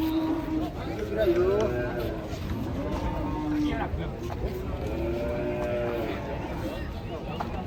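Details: Cattle being unloaded from a truck, several long, wavering moos rising and falling over the clip, with steady engine-like rumble and people's voices in the background.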